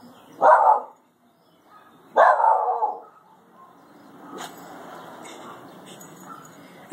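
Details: Shiba Inu named Adonis, a pet dog in a grandmother's back yard, barking at a bird stuck in a bush: two loud, sharp barks about 1.7 seconds apart, followed by quieter rustling and faint background sounds.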